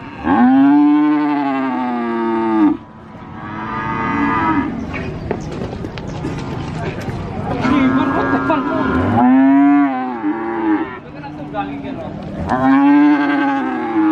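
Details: Cattle at a cattle market in Sokaraja, Purwokerto, Banyumas give several loud, sustained moos, each a rich, resonant low bellow lasting a second or two, swelling and fading over steady crowd chatter and shuffling.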